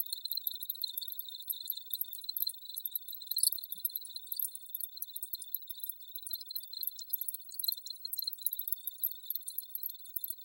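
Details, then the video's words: Crickets calling in a dense, unbroken high-pitched chorus, a thin steady trill running beneath bright, fast shimmering pulses that overlap continuously for the whole stretch. "Crickets Audio Sample"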